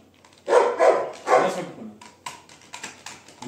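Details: Pet Labrador Retriever named Sophie barking indoors: three hoarse barks in quick succession, then quieter clicks and faint household sounds.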